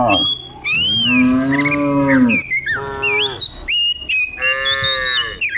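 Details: Cows herded down a hillside in the morning in the countryside: a long, drawn-out harmonic moo slides slightly, then shorter overlapping moos from other cattle, with high thin bird chirps above.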